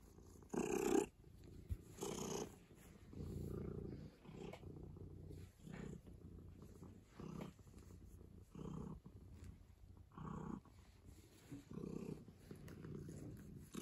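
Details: Office cat purring contentedly inside, a soft low rumble with a stronger breathy burst near the start, then gentler purr cycles repeating roughly every second or so in a quiet room.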